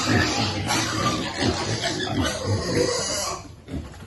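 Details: Piglet waiting for food, with rapid, uneven grunts and squeals packed tightly together for about three and a half seconds before the noise drops away sharply.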